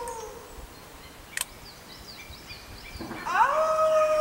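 A coyote's howl swoops upward into a long, steady, clear tone after a fading earlier note.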